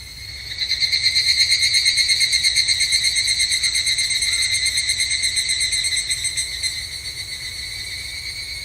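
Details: Japanese summer at a temple, an evening cicada (higurashi) calling: a loud, rapidly pulsing metallic trill with throbbing swells about three times a second, rising in strength then tapering off toward the end, faint low background hum.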